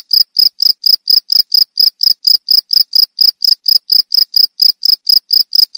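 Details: Shrill cricket call in quick succession: short, high, buzzy chirps at an even pace of about three to four per second, continuing unbroken with nothing else audible.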